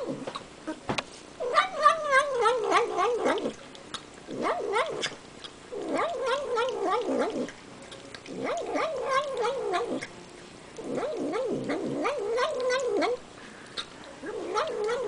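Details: Pet cat making nom-nom noises as it eats sour cream: several bursts of warbling, wavering vocal sounds, each lasting one to two seconds, separated by short pauses, with wet eating clicks between.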